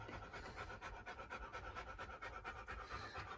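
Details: Rapid, steady panting from a playing dog, one of the pair Reina and Bella: evenly spaced breathy bursts about two per second, fairly soft, with faint background hum and no other animal sounds.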